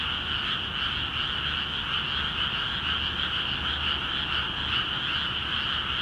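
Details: Rice paddies in Akiha Ward, freshly filled with water, ring with a frog chorus: many overlapping croaks form a steady, shimmering two-toned drone that holds level throughout.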